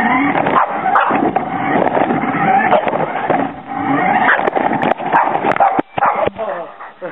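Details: A Boston Terrier goes wild chasing a remote-control car, barking and yapping excitedly over the whir of its small motor and voices.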